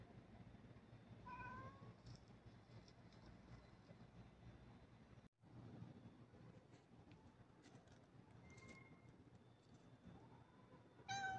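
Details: Domestic cat meowing: a short harmonic meow near the start, another fainter rising meow later and a final meow at the end, over steady low rumbling background noise.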